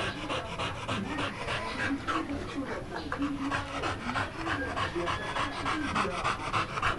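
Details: American Pit Bull Terrier panting steadily, quick rhythmic breaths at roughly three per second, with human voices talking over the breathing.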